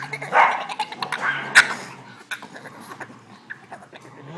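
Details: A Boston Terrier, frustrated because he can't play with the other dogs, gives strange, strained, alien-like whining yips and grumbles.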